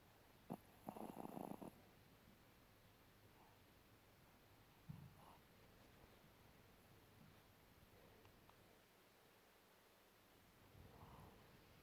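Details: A sleeping Spitz snores indoors: a rough, breathy snort near the start, a shorter grunt around five seconds and a softer wheezy breath near the end, with quiet room hiss between.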